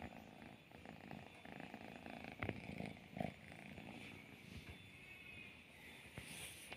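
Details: Domestic cats, an orange cat together with a pregnant cat, with a low, rumbling, uneven purr under steady background hiss, broken by a couple of brief sharp clicks.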